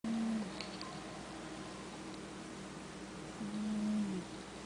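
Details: Sabastian, a pet cat, asleep and snoring: two low droning breaths around a second long each, one at the start and one near the end, with quiet room hiss between them.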